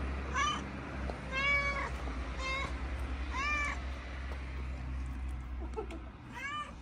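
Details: Mother cat, a stray fed on the street in Morocco, chatting about her little family: a run of five clear, bright meows, some rising then falling, spaced about a second apart, over low background hum.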